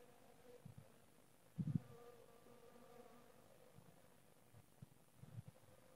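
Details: Honey bees give a low humming drone, with short louder buzzes as individual bees pass close, one strong burst near the start and more toward the end.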